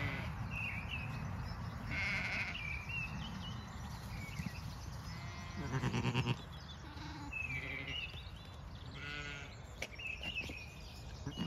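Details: At dawn on a regenerative Irish farm in County Kilkenny, lambs give a few distant quavering bleats, two more distinct near the middle, while birds chirp and whistle in a dawn chorus over low rumbling background noise.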